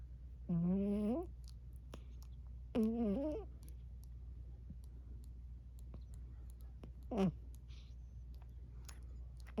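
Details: Sleeping Burmese cat Emma Rose gives short rising, wavering murmurs, two close together then a brief third chirp-like sound later, with faint clicks and a steady low hum in a small indoor room.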